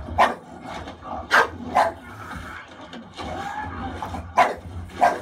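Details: Khaleesi, an English Bulldog, barks protectively at Leonardo DiCaprio's on-screen distress in the bear attack from The Revenant. About six sharp, irregular barks come over five seconds, with the film's soundtrack rumbling beneath.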